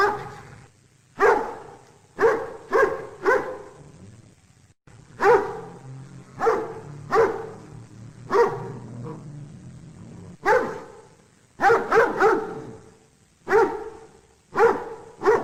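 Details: Real dog barking meant for kids and families: sharp harmonic barks, some single and some in quick runs of two to four, scattered across the recording with short pauses and faint low background noise.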